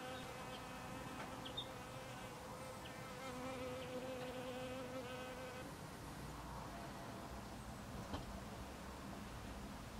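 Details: Western honey bee foraging at snowdrop blossoms, a rich, droning hum with layered overtones, strongest for the first six seconds and then fading into softer background noise.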